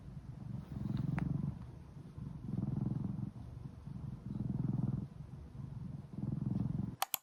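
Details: Purring from Odeuri, a pet cat after tooth extraction surgery: deep, steady low rumble pulsing in long waves roughly every one and a half seconds, quiet room, a sharp knock at the close.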